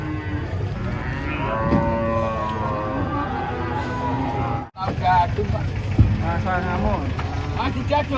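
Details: Giant cattle coming down off a truck give long, low, harmonic-rich moos, several overlapping through the clip, with a short sharp break near the middle and a busy background of voices and yard noise.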